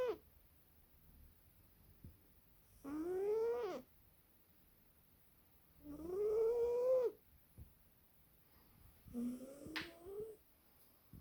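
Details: A sleeping British Shorthair cat snoring indoors: three tonal, harmonic breaths, each about a second long, that rise and then fall slightly in pitch. They come roughly every three seconds, with quiet between them.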